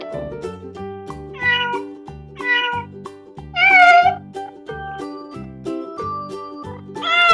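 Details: Pet cat meowing four times, short rising-falling mews spaced about a second apart, the third loudest, with the last one at the very end, over bouncy children's music.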